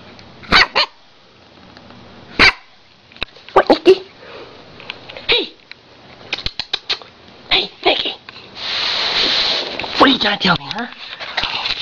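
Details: A Siberian Husky gives short, sharp barks and a few rising-falling vocal yowls, apparently trying to tell her owner something.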